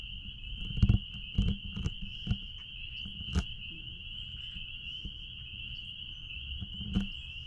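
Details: Spring peepers calling out back at a blueberry farm: a dense, steady high-pitched chorus of overlapping peeps forming one continuous ringing tone, with low rumbling wind or handling noise and several sharp knocks and clicks.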